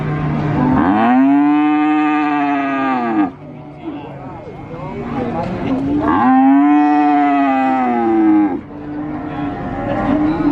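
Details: Cow lowing at the Sokaraja cattle market in Purwokerto, Banyumas, two long, loud, arching moos about five seconds apart, each rich in harmonics, with market voices and clatter between them.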